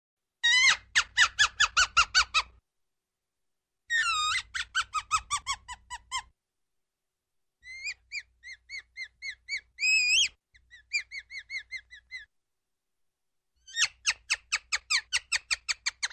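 A ground squirrel gives bursts of sharp, squeaky chirps, each bout a quick run of falling notes.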